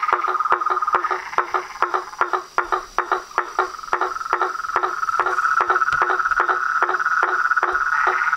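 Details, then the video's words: Toads, frogs and tree frogs chorusing at dusk on a pond facing a veranda, loud rhythmic clicks about two or three per second over a sustained buzzing trill that swells toward the end. "A SINFONIA DOS SAPOS, RÃS E PERERECAS"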